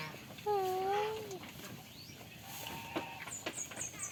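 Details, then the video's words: Goat on a farm while playing and eating, giving a single drawn-out nasal bleat that dips slightly in pitch, followed by quiet rustling and a few high thin chirps near the end. "FUNNY GOAT SOUNDS PLAYING AND WHILE EATING ON THE FARM"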